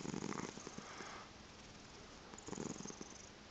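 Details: Chocolate spot tabby and seal point Siamese cross cat purring in the morning indoors; two rough, pulsing purr bursts, one at the start and one near the end, separated by a quieter pause.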